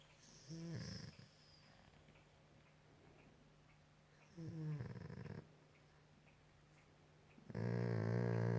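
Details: Max, a pet Golden Retriever lying on a couch at night while his ear is scratched, makes three drawn-out moaning, snore-like groans with a rough low buzz, each about a second long, the last loudest, separated by quiet indoor stretches.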